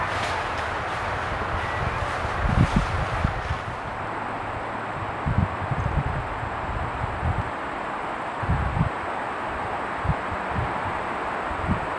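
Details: Only wind rumbling and buffeting outdoors is heard, with no clear animal call. Low gusts and a steady broadband hiss fill the recording throughout.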